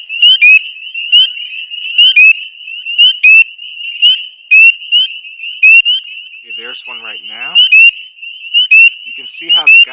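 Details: Spring peepers (Pseudacris crucifer) in early April give high, shrill, rising peeps repeated rapidly over a dense, loud chorus of many hidden in dense vegetation, calling loudly so individuals stand out to mates; a man briefly talks.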